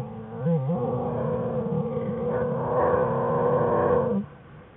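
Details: American black bear cubs Fern and Herbie whining in the den with their mother Jewel, January 5, 2013; a steady, wavering harmonic drone for about four seconds, then it cuts off abruptly.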